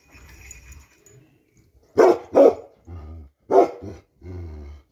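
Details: Bakarwal dog of pure line giving three loud, sharp barks, two close together then a third after a pause, with softer low grumbling sounds between them.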